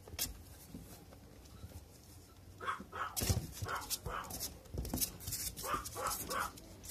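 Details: Male puppy offered through a breeder site, giving short, rough barks and yaps in uneven bursts over the second half, mixed with handling thumps and a little background noise.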